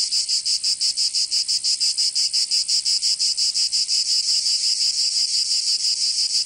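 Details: Provençal cicadas in the southern French summer, a piercing buzzy chorus pulsing quickly and evenly, about three beats per second, smoothing into a steadier drone near the end.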